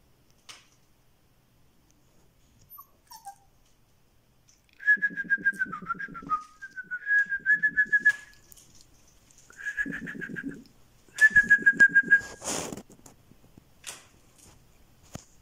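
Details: Black-and-white female Siberian Husky puppy, born 25 September 2020 at the Krylatki kennel in Moscow, filmed 26 October 2020; high, pulsed whimpers and whines in four short bursts between quiet gaps, with faint background sounds.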